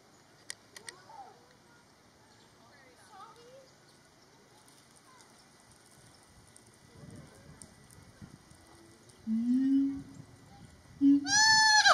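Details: A siamang at Metro Richmond Zoo, Virginia, on 25 February 2022 gives a low droning boom, then loud, ringing whoops that rise and fall sharply.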